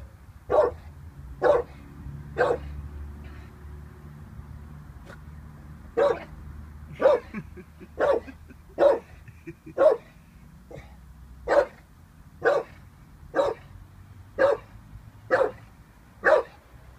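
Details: Staffordshire Bull Terrier Vinnie, 18 months old, barks at a balloon he is unsure of: a long run of short, sharp barks, about one per second, steady and clear against a quiet room.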